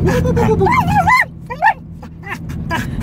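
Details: Female pet dog yodeling while riding in a car, giving looping, undulating warbles that swoop up and down in quick waves, then shorter broken yips, over low vehicle hum.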